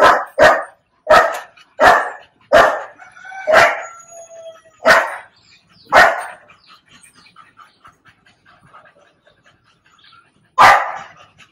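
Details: Mastiff puppy barking during ear-cropping stitch removal at home, sharp repeated barks about every half second in a burst of seven, then quieter whimpering yips and one final bark.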